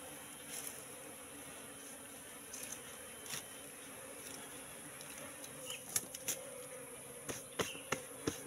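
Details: Continuous droning hum of a wild Apis cerana colony moving into a trap box set three months earlier, with scattered taps and knocks growing more frequent toward the end.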